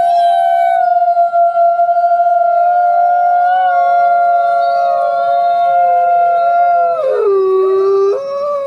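A wolf gives a long, steady howl that drops sharply in pitch near the end.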